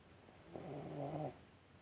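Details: Yorkshire Terrier named Alice asleep on a warm heating pad, snoring softly: one low, rough, droning breath lasting under a second, with a faint steady high whine in the background.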